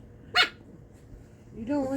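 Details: Corgi. A corgi puppy lets out a single short, bright yap, snappy and high-pitched. Afterward a person's voice speaks in a light, sing-song tone.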